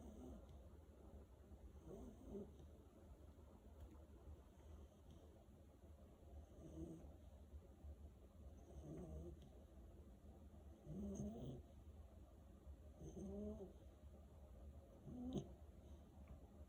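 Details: Malinois puppy asleep and snoring: soft, breathy low rasps repeated irregularly about every two seconds, some louder snorts toward the end, over a steady low hum.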